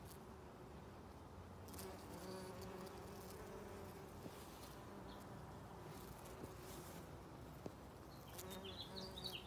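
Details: Bees visiting rhododendron flowers in a springtime garden, a steady low humming buzz with harmonic bands drifting in pitch as they fly between blooms, occasional faint bird notes and clicks.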